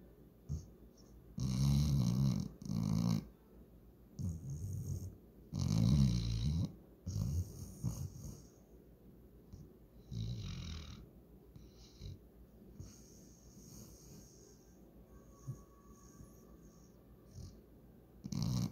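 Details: Walker, a German Shorthaired Pointer, passed out asleep and dreaming. Deep, low rasping snores come in irregular bursts, strongest in the first seven seconds, then fade into softer, broken snuffling breaths.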